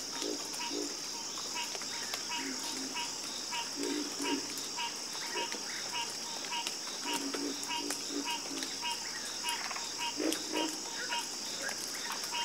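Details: Chorus of frogs croaking, recorded for a calming sleep soundscape: short low grunting croaks repeat irregularly from several callers over a steady high insect-like whine and a faint background hiss.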